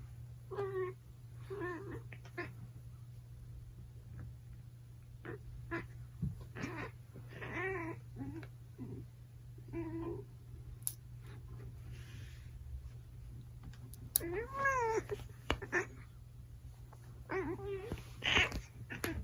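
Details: A 5-year-old female British Shorthair cat that rarely meows gives a series of short, wavering, rising-and-falling meows during nail clipping, angry at another cat, over a constant low electrical hum.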